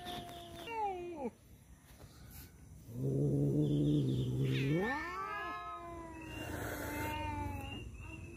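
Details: Male domestic cats fighting over a female: brief high meows, then a steady low harmonic growl lasting over a second that sweeps sharply upward into drawn-out wavering wails, with faint background noise.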